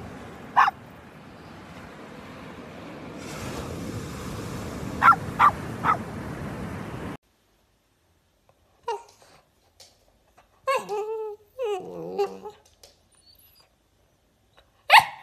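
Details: A ruby Cavalier King Charles Spaniel gives a few sharp barks, then a wavering, rising-and-falling howl.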